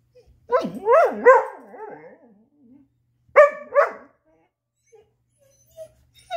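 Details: Chaco, a black female Labrador–Coonhound mix, trying to get her ball out. Two bursts of high, wavering whines and yelps bend up and down, each lasting about a second, with a quiet pause between them.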